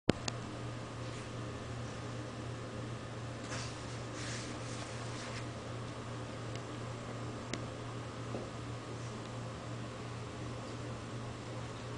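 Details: A quiet indoor room hum with a fan-like drone and a few faint rustles and clicks, with no animal calls.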